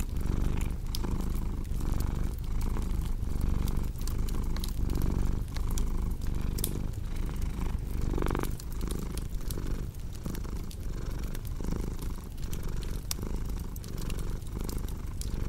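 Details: Low, rumbling purr of a cat, rising and falling roughly every second and a half, layered over a steady crackling fire with scattered pops.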